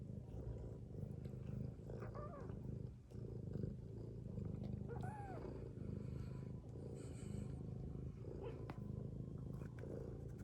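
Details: Domestic cat, a mother asleep beside her kittens, snores in an even, low, rough drone, with a few faint, brief, high mews over it.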